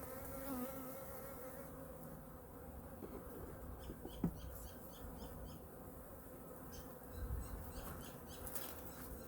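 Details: Honey bee colony in Hive #2 during a weekly winter inspection, with food reserves being checked: a steady low buzzing hum with layered tones and a few short handling knocks and clicks.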